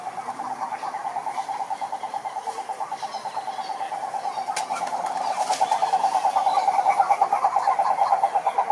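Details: Wild cane toads (Rhinella marina) in a lake in Brazil's Atlantic Forest give a fast, even pulsed trill held at one mid pitch, growing louder toward the end, with a few faint clicks overhead.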